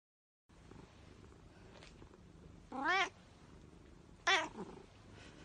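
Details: Domestic cat giving two short, rising-and-falling harmonic meows about one and a half seconds apart against a low, steady background hiss.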